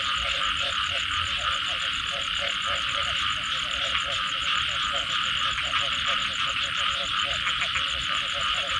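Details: Frogs calling after rain: a steady chorus of short, rapid pulsed croaks repeating through the clip, set against a dense, continuous high-pitched insect drone that fills much of the background.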